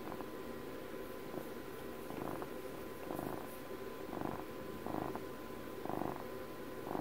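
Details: Purring from a twelve-year-old pet cat: rhythmic grainy bursts recurring about every second, each swelling and easing as the cat breathes, with a faint steady hum underneath.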